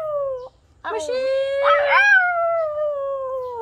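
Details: Female puppy "talking" in long, tonal, howl-like moans: a short falling note, a brief break, then a wavering, rising-and-falling drawn-out howl for nearly three seconds, overlapped by a person's voice.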